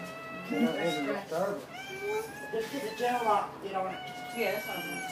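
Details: Indoors at a Dobermann puppy birth, the mother having labored all day: drawn-out, thin whines that bend upward and downward, several in a row, overlapped by a person's gentle talking.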